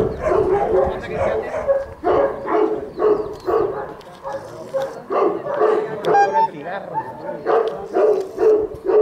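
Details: Presa Canario named Zeus de Ironbull at a Presa Canario event in Madrid, barking in a steady string of deep, harsh barks about two per second, with human voices talking over the barking throughout.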